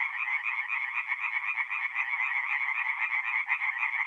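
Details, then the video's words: Tree frogs singing at night at a forest pond in mid-April in north-eastern Italy; many overlapping rapid croaks form a dense, continuous pulsing chorus with a nasal, rattling quality. "relaxing forest pond by night with singing tree frogs"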